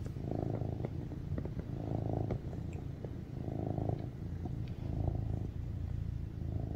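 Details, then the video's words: Rescued male tuxedo cat born in 2019, lying on top of a person and craving cuddles, purring loudly: a steady low rumbling purr swelling and fading with each breath, about every one and a half seconds, with faint clicks. "Sweetest cat purring on top of me, craving cuddles like a baby"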